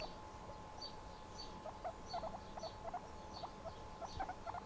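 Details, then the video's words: Pet guinea pig relaxing indoors, giving a quiet run of short, clipped squeaky notes, some doubled, repeated irregularly over a steady low electrical hum. "Guinea pig making noise"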